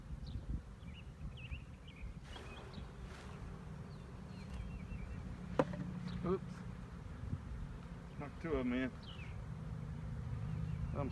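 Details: Honey bee swarm in 2019, its low steady hum forming a continuous drone, with a man's voice briefly over it and faint bird chirps in the background.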